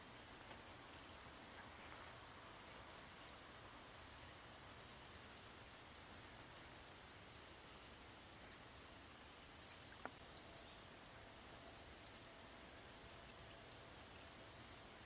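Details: Handsome meadow katydid singing by wing rubbing: clusters of very high, dry buzzy pulses come in bursts and thicken toward the end, set against constant low hiss with one sharp click near the middle.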